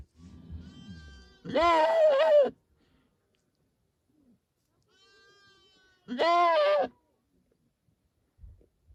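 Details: Goat. A goat bleats twice, each call a loud, quavering cry lasting about a second. Faint background sounds fill the gaps between calls.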